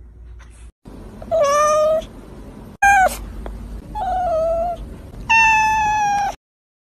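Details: Domestic cat with big eyes giving a string of four meows, clear harmonic cries, some short and falling, others held and level, spaced about a second apart in a quiet room.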